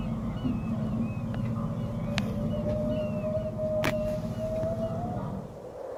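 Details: Song of feeding humpback whales in the Kenai Fjords, heard through a boat's sonar: one sustained, gently rising moan lasting about four seconds, with a constant low boat drone, sharp clicks and faint chirping birds.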